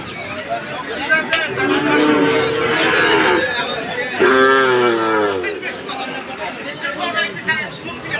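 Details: At the Aricha cattle market, a calf lows twice: a longer harmonic moo, then a second one that bends and falls. People talking and general market noise surround the calls.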